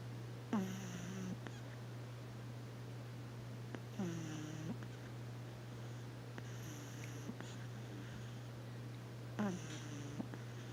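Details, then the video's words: Puppy pug Roxy sleeping on a lap gives squeaky, falling snorts that level into a drawn-out nasal drone, roughly every three to five seconds, with a constant low hum beneath and quiet room sounds. "ROXY snoring in daddy's lap"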